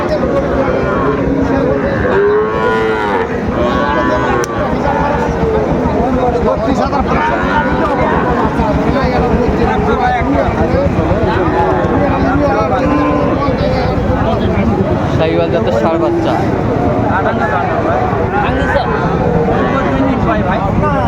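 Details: Sahiwal bull calves at a cattle market in Mymensingh, Bangladesh, on 30 May 2024: deep, drawn-out moos with rich harmonics rise and overlap almost without pause, set against a steady hubbub of market crowd noise.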